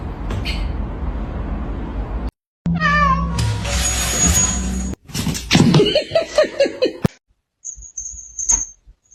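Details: Cat meowing in a choppy sequence broken by cuts: a rising harmonic meow, then a run of quick short chirping mews, with clatter and a faint high whine between.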